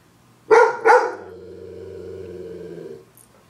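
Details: Pet dog reacting to a zombie shown on a TV screen, giving two fast, loud barks half a second apart, followed by steady humming tones from the television.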